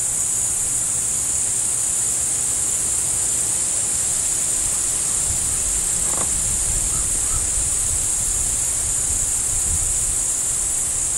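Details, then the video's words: A continuous shrill cricket chorus heard with a deer nearby, even and unchanging throughout, with a faint low rumble underneath and one short soft call midway. "Reh mit zirpenden Grillen"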